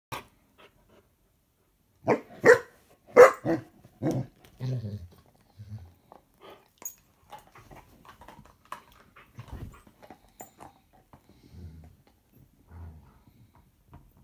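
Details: Bernese Mountain Dogs Stella, four years old, and Samson, four months old, relaxing on a sofa at home; a burst of five or six loud, deep barks, then softer grunts and low mutters trailing off into quiet.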